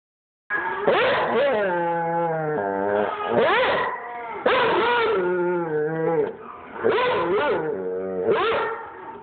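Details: Pet dog howling along to a recording of its own howling: long wavering howls with rich overtones, rising then sliding down, overlapping in several bursts with brief gaps, indoors.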